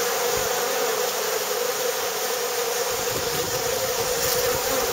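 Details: Many bees at a saltworks, their massed wingbeats forming an unbroken, even buzzing drone that holds steady from start to finish.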